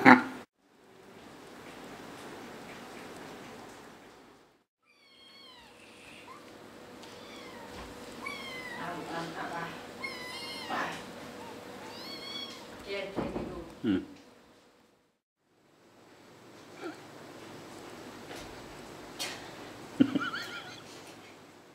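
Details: Five six-week-old kittens play-fighting; a run of short, high rising and falling mews between about 5 and 14 seconds, with scuffling thumps and low background hiss throughout.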